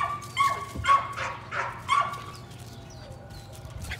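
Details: Evening rat work for a litter of Patterdale Terrier puppies in their pen; three short, bright, clear yips in the first two seconds, then quieter rustling and faint voices.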